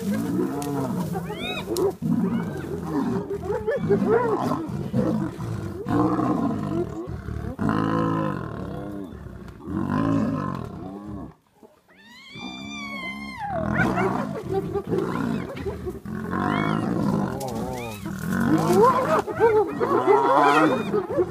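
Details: Spotted hyena clan at a buffalo carcass in Kruger National Park, South Africa, confronting lions. Dense overlapping arched, wavering whoops and giggling cries mix with deep growls and roars, then a brief pause near the middle and high rising squeals before the chorus resumes.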